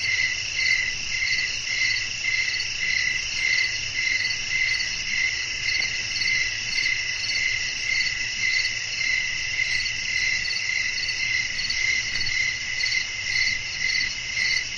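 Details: Crickets sing in a night ambience with blowing wind: a continuous shrill, ringing chorus with rhythmic pulses about every half second, holding steady over a faint low rumble.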